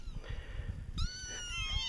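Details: Nine young kittens, orange plus two black, in a laundry basket on 7 September 2010, give thin, high-pitched overlapping meows while following a person, wanting to be held.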